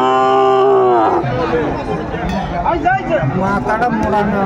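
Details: Sahiwal bull calves at a cattle market in Kurigram, Bangladesh: a long, steady low moo opens for about a second, then fades into loud market chatter and men talking.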